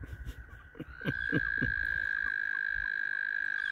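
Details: Mating frogs gathered around a kayak on the water: after a few low splashes and knocks, a long, steady, high trill starts and holds without a break to the end.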